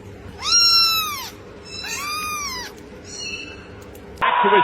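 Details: Kitten meowing: three clear arched meows, each rising then falling in pitch, spaced about a second apart. A sharp clatter and brief hum follow at the end.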